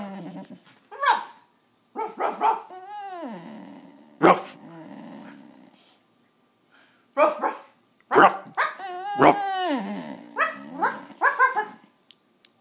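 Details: Penny the dog whining indoors as someone tries and fails to get her to bark; brief wavering whimpers come in several bouts, broken up by abrupt percussive bursts and pauses of silence.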